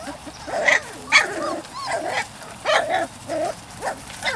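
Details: Weimaraner x Vizsla puppies from Biscuit's litter, three to four weeks old, whining and yelping in a string of short, high, arching cries, about eight in four seconds, some rising then falling, with quiet gaps between.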